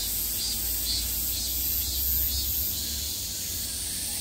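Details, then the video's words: At peak summer, cicadas sound on every side as an unbroken sizzling high-pitched drone, slightly swelling in places, above a deep low hum. "매미소리를 들으며 휴식. Cicadas's buzzing sound"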